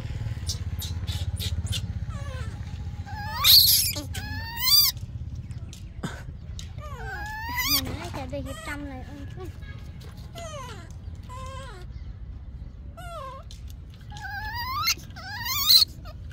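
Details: Yaya's baby monkey screaming for Yoyo's milk: repeated high, wavering harmonic wails that rise and fall, several short loud shrieks near the start and end, with people talking quietly in Vietnamese in the background.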